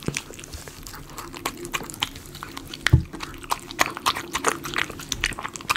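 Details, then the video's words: Miniature Schnauzer eating chicken pot pie dog food, recorded close up for ASMR: wet, crackling chewing and crunching clicks in quick irregular bursts, with one louder thump near the middle. "ASMR Miniature Schnauzer eating Chicken potpie"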